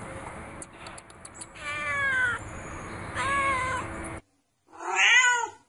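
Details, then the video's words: Cute kitten meowing: after a stretch of broadband rustling and clicks, three drawn-out, slightly falling meows with rich harmonics, the last one loudest and set apart after a brief silence. "Mèo Con Dễ Thương tiếng mèo kêu meo meo mèo con kêu dễ thương"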